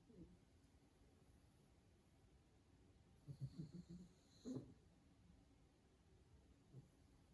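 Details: A pug asleep, tired after a day of play, makes a cluster of low, rough snorting snores midway, followed by quiet breathing and a faint final snuffle.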